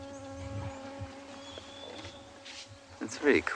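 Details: At sunrise on 12 May 2020 in Djuma Private Game Reserve, Sabi Sand, in the greater Kruger area, a fly drones steadily for about three seconds, a level, mid-pitched hum with bright overtones, before a brief burst of voices and clatter.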